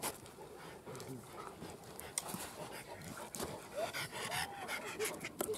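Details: Newfoundland dogs in a yard greeting arriving guests, snuggling up and asking for attention and friendship; soft panting broken by a few short, rising whimpering whines near the end, with people chatting in Lithuanian throughout.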